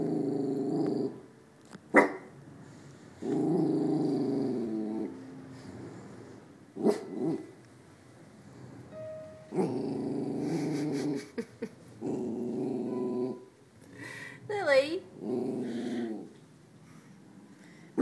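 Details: Lilly, an 8-month-old West Highland White Terrier wearing pajamas, guarding the fort: long low rumbling growls broken by short sharp barks, with scattered clicks and a brief whistled tone.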